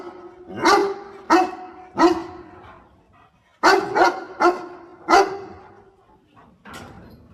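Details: A dog aiding its owner picking water spinach lets out three barks, pauses about a second, then four more quick barks and a fainter final one.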